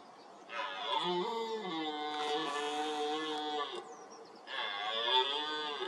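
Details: Ten-point red deer stag in the 2023 rut, stepping out of reedbeds and roaring toward the camera: a long, deep, harmonic-rich roar of about three seconds, a brief pause, then a second roar that begins rising again.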